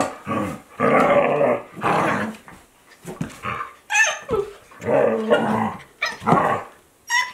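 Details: Two Akita Inu dogs at play, fourteen-month-old Aala and two-month-old Olavi, recorded in 2023 without music: bursts of rough growling and grumbling, each lasting about half a second to a second, broken by brief quiet gaps and a few sharper yelps.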